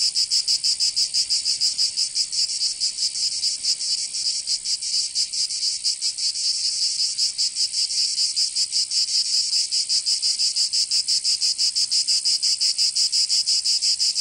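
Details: Provence cicadas in summer, southern France: a continuous harsh high-pitched whirring, pulsing quickly and somewhat unevenly throughout, several insects overlapping in a dense wall of sound.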